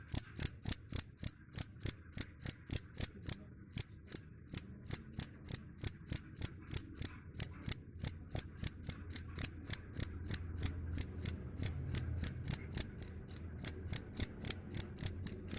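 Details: Shrill, metallic chirps from a cricket repeat roughly three times a second with a few short gaps, a sound said to drive away rats; a low background rumble swells briefly midway.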